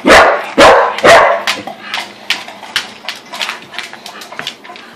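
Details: Corgis barking in excitement at dinner time, a daily scene happening three times a day; three loud barks open, followed by a rapid train of fainter yips and clicks, over a low steady hum.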